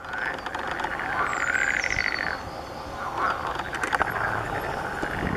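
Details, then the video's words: Breeding-season chorus of water frogs: long rasping pulsed croaks rising and falling in bursts of a second or two, overlapping callers, a distant high bird whistle and a few clicks. "gody żab zielonych"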